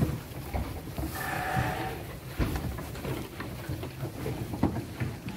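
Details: Garut sheep aged five to six months, weighing 18 to 23 kg and destined for qurban or aqiqah, uttering one short, wavering bleat early on, followed by low rumbling noise and faint thumps.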